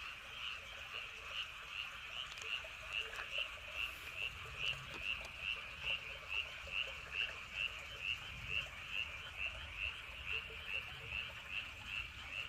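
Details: Frogs at night in Andong, near Woryeonggyo Bridge and Hahoe Village; one high, ringing pulsed call repeats very regularly, roughly twice per second, over a continuous background chorus and soft low wind noise.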